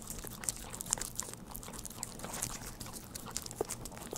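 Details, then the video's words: Pet dog at home eating Churu treats, recorded close-up without talking: a dense stream of quick wet clicks and crackly smacks, fairly soft, with a faint low hum underneath. "우리집 강아지 츄르를 좋아해┃강아지 먹방"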